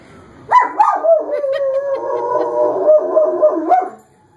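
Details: Male German Shepherd howling in reaction to a fire engine's sirens, sounding much like a siren himself: short rising yelps open into one long wavering howl lasting about three seconds, its pitch sliding up and down.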